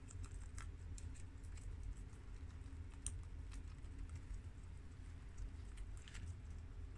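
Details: Four guinea pigs (Shiro, a tri-colour American boy; Crash, a red American boy; Cookie, a long-haired Mini Yak girl; Peanut, an Abyssinian girl) eat freshly washed garden romaine lettuce. Soft crisp crunching clicks come in irregular bursts over a steady low indoor hum.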